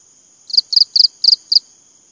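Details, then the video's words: Five crisp, high chirps from a cricket in an even run, roughly four each second, every chirp a rapid doubled pulse, with a thin constant whine behind. "BUNYI CENGKERIK"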